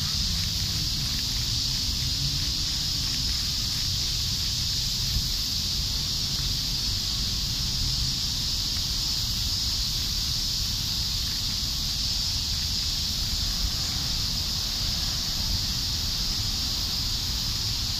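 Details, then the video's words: A constant high-pitched cicada drone recorded in Japan, unchanging in pitch and loudness from start to finish, with low outdoor rumble beneath. "JAPANESE CICADA ASMR"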